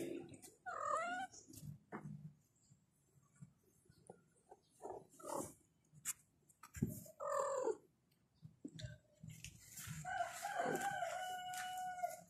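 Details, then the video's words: Kittens meow to call their mother: a string of short, separate harmonic meows spaced through the recording, with a louder, longer cry near the end and soft handling noises between calls. "The kittens meowed and called their mother"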